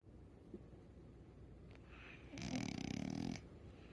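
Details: Sleeping dog snoring indoors: a long rasping, rattling breath of about one second with rapid flutter, following quieter soft breathing, over a steady low background hum.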